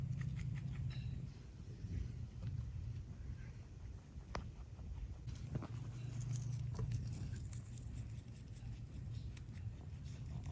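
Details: Two pet rabbits munching greens, a load of veggies, grasses and flowers; rapid, irregular crunchy chewing clicks, about three to four per second, over a steady low hum.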